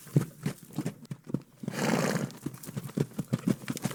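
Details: Farm horse: steady clip-clop of hooves, broken midway by a harsh, breathy burst of under a second, after which the uneven hoofbeats carry on.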